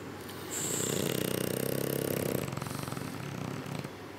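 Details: One of two French Bulldogs, which the owners suspect have sleep apnea, snores with a long, rattling, low breath that fades into quieter wheezy breathing.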